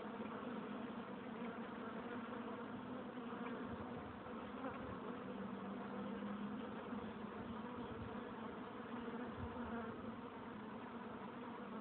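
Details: A crowd of honey bees at the hive entrance producing an unbroken, even buzzing hum, low and full, with faint soft knocks underneath and no other sounds.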